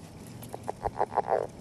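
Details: Courting Northern leopard frog near an egg mass giving a quick run of six short croaking pulses that grow louder and closer together, ending in a longer grunt.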